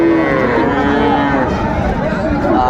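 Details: Friesian and cross-breed bull calves at the Thursday cattle market at Raniganj haat, Ghoraghat, Dinajpur, Bangladesh, 26 July 2024; overlapping drawn-out moos with steady harmonic tones over crowd murmur.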